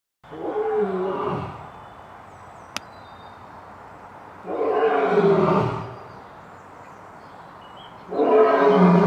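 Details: Lion roaring in three long, loud bursts, each lasting about a second and a half, spaced roughly three to four seconds apart, rough and harmonic-rich with a falling tail; quiet background between them and a single sharp click.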